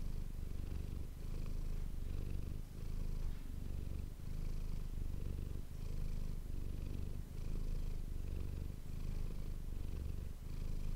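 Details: Manis, a pet cat, purrs steadily into an ASMR microphone; deep vibrating drone broken by brief breath pauses roughly every one and a half seconds, alternating inhale and exhale phases in a quiet room.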